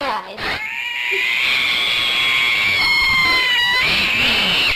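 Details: Cat giving a long, loud, sustained yowl that holds a steady wavering tone for about three seconds, then breaks and rises again near the end, preceded by a short lower sound.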